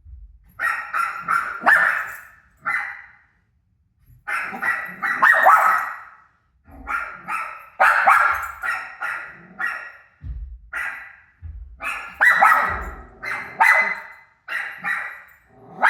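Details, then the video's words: Indoors, a dog named Rosie barks excitedly at her own recorded barks on TV, a near-continuous run of strong, rough barks with one short pause, some overlapping in fast doubles. "Crazy Rosie Barking At Her Barking Self On TV"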